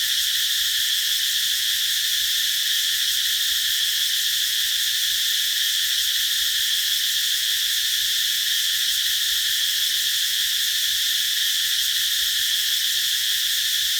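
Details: Summer cicada chorus under a tree, a dense continuous shrill hiss-like buzz that never breaks or changes pitch across the whole stretch, with nothing else audible.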